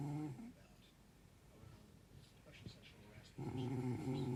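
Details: Snoring from a sleeping dog: the tail of one low buzzy snore fades out, followed by about three seconds of soft breathing, then a fresh deep, rattling snore rises at the end.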